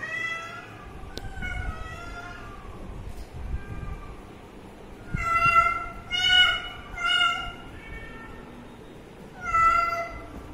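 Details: Baby cat beside its water meowing insistently: softer drawn-out mews at first, then a cluster of three loud, strained meows in quick succession, a pause, and one more loud meow near the end.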